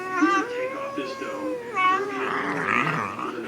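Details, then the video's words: Bagel dog and Chihuahua puppy playing together indoors and making strange sounds: drawn-out, wavering whines and moans with strong harmonics that rise and fall, several overlapping bursts in quick succession, ending in rougher grumbling noise. "Bagel Dog and Chihuahua Puppy Playing Making Strange Sounds"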